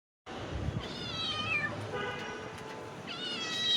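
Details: Several hungry cats meowing while being given food: overlapping, rising then falling harmonic meows around 0.8–1.7 s and again near 3–3.8 s, over a low rumbling background and a woman's voice.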